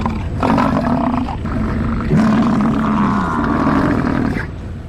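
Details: An American bison gives two deep, guttural roars: a short one, then a long, drawn-out bellow lasting about two seconds, rough and throaty throughout.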